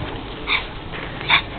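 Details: Two dogs, a Rhodesian Ridgeback and a berger podal, playing happily together. Two short, high yelps about a second apart, separated by a quiet background.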